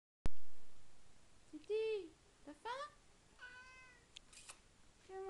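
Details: Tigroo, a domestic cat indoors at mealtime, meows to show its enthusiasm: several drawn-out harmonic meows, some rising and some arching, spaced about a second apart. A person speaks softly in French between the calls.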